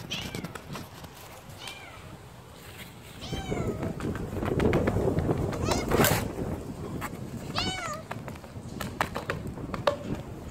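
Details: A one-eyed kitten alone with a white cat. There are several high, thin meows that bend downward, spaced a second or more apart. Broadband rustling and handling noise swell in the middle of the recording.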